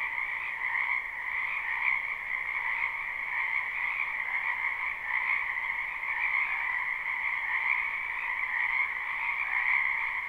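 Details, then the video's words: Live recording of frogs croaking in a spring wetland near a house: a continuous massed chorus of rapid trills holding steady throughout, with gentle rises and dips in volume and no other sounds. "Ambient Noise for Sleep Frogs"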